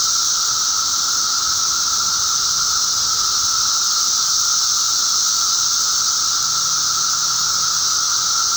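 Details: Periodical cicadas of the genus Magicicada in a mass emergence, May 19, 2011, producing a relentless, uniform buzzing chorus: a bright high hiss layered over a steady lower tone.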